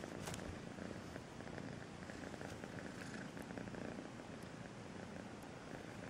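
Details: Soft, sweet purring from the kitten Melissa, a low grainy rumble held evenly throughout at a quieter level, with a brief scratchy rustle near the start.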